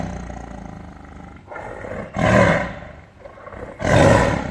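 A tiger gives deep, rasping roars, two loud bursts about a second and a half apart.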